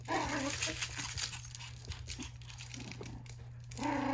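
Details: Meimei, a 3-month-old puppy, growls while playing tug-of-war with a crinkly rustling toy indoors; short rough voiced growls open and close the moment, with toy rustling and a steady low electrical hum beneath.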